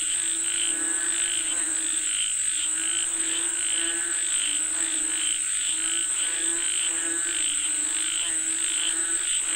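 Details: Frogs said to be calling for rain, croaking together in a dense overlapping chorus of harmonic, throaty croaks pulsing roughly every half second, over a steady high-pitched whine throughout.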